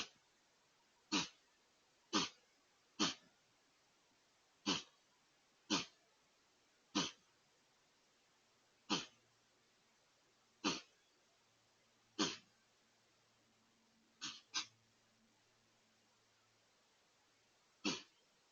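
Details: White-tailed deer in a sneezing fit: twelve sharp, breathy bursts spread over about eighteen seconds, each a brief explosive puff, two coming in quick succession near the end, with a faint low hum between.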